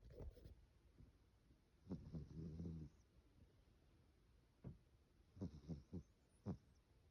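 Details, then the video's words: A sleeping cat snores softly indoors: a low rumbling breath lasting about a second, then several short faint snorts spaced irregularly, against quiet background hiss. "More kitty snores"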